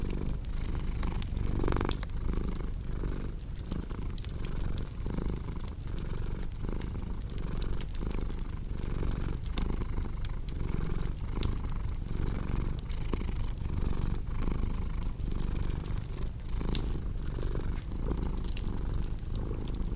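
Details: Cat purring, a dense low rumble running without pause, overlaid with frequent pops and crackles of burning firewood in a calm indoor setting meant for deep sleep.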